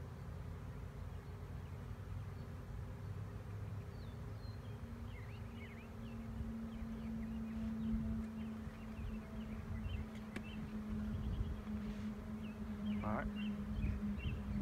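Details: Honey bee swarm in 2019, being coaxed to settle: a steady low droning hum that thickens midway and holds to the end, with small birds chirping in the background and a sharp click near the tenth second.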